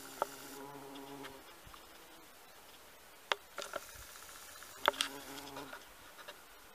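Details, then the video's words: In a garden, a bumblebee on honeysuckle gives a brief low hum at the start and another short buzz later, separated by quiet stretches and sharp clicking knocks. "Шмель на жимолости в саду"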